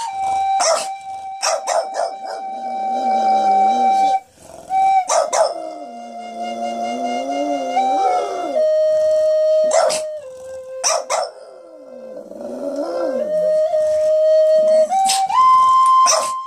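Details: Pet dog singing along with toddlers to Indian flute music playing happy birthday; wavering, sliding howls rise and fall beneath steady sustained flute notes, with short bursts of children's voices breaking in between phrases.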